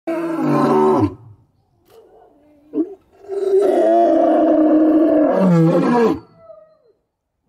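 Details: A white lion (Panthera leo) gives two deep, drawn-out roars, rough and rich in overtones, with a short quiet gap between them.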